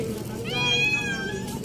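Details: Very hungry green-eyed kitten, always starving, meowing for food: one drawn-out, tonal meow that rises, holds, then slides down. Faint background music runs underneath.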